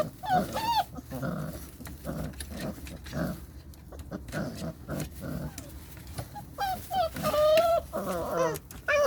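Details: Several Belgian Malinois puppies yelping and barking, with frequent short bursts throughout and high, bending squeals that rise and fall, growing busier near the end.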